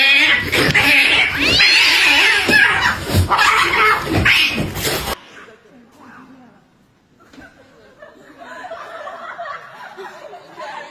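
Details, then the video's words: Cats fighting: loud, harsh, wailing caterwauls over about five seconds, with human laughter and talking mixed in, then a much quieter stretch with faint sounds. "Cat Fights Compilation Video"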